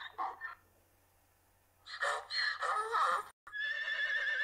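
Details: Domestic horse neighing: a short harmonic burst, a pause, then a longer shaky whinny with wavering tones and a brief cut before a steady high tail.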